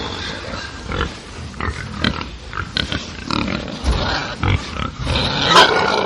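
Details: Several angry pigs on a farm grunt and squeal harshly in overlapping, irregular bursts.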